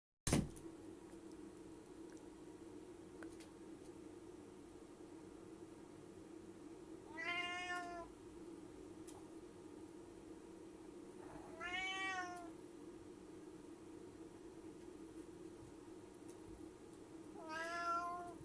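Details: Indoor cat meowing before jumping, as if announcing the leap: three drawn-out, rising-then-falling meows about five seconds apart, over a steady low hum.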